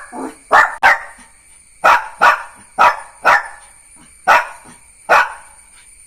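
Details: Neo, a Jack Russell Terrier puppy, gives a run of about ten sharp, high barks, often in pairs, spaced irregularly over six seconds, each short and punchy against a quiet room.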